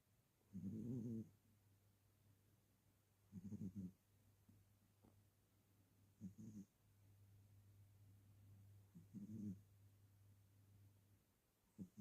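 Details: A sleeping cat snores softly, with short low rasping breaths about every three seconds over a faint steady hum.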